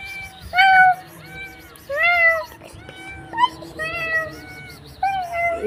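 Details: Cat calling with a string of short, bright meows, several rising then falling, spaced about a second apart, with faint music and voices in the background.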